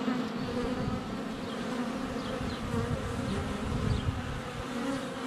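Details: Swarm of honey bees flying about the hive entrance during sunny February weather, recorded with a GoPro Hero 7 Black less than a foot away; unbroken, rich droning hum with faint distant bird notes.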